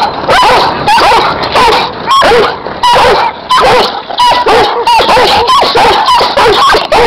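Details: Giant Schnauzers working as guard dogs give short, sharp barks mixed with higher yips and whining tones, coming in quick irregular bursts.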